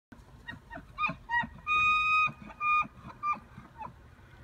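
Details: Elk bugling in Estes Park on 8 October 2015. High, clear, whistled notes come in a series: a couple of short toots, then one long sustained whistle, then further shorter whistles, over faint background noise.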